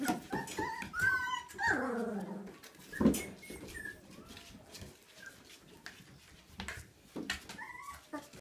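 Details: Twenty-two-day-old Siberian Husky puppy, born 13 April 2016, letting out a drawn-out whine that slides downward, then brief high squeaks and yips near the end amid rustling and tapping noises.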